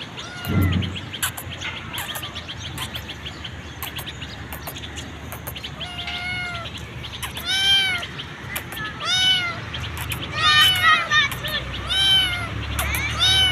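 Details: Hungry street kitten calling as she is fed: high harmonic meows, arched and rising-falling, repeated about every second or two, some overlapping in quick bursts, over steady low traffic-like rumble and a few faint chirps.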